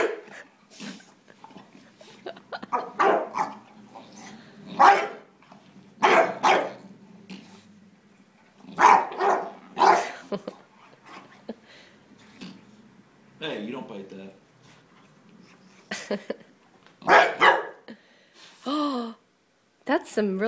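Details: Terry, a Bulldog upset by his toys' fart sounds, barks in irregular bursts over twenty seconds, some harsh and gruff, others with a rising and falling squeal, separated by quiet pauses.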